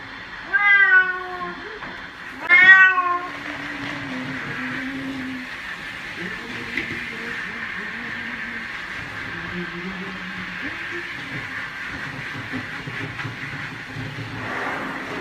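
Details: Domestic cat being bathed gives two loud, drawn-out meows, the second higher and more strained, then falls quiet under a steady rushing hiss with faint low murmurs.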